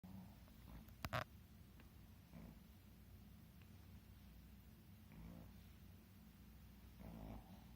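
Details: Two Shih Tzus snore together, with low rumbling breaths rasping every two to three seconds.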